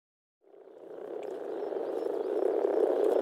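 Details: Low, murmuring frog chorus swelling in from silence at a Czech pond in spring, with a steady purring hum growing louder and a bird calling faintly in the distance.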